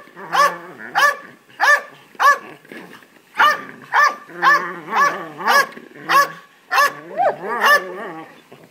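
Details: Three-year-old Belgian Malinois named Nash barks excitedly for a ball near younger Labradors; steady series of about fourteen loud, rich barks roughly every half second, some with a whiny, rising edge.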